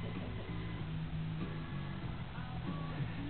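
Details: Quiet recorded music with plucked string tones over a steady low drone, heard faintly throughout, with no animal sound.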